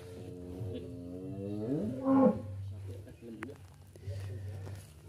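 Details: Sacrificial cattle taken from a farmer's pen for transport to Jakarta give a drawn-out moo that swells and rises in pitch before breaking off, over a steady low engine hum and people talking.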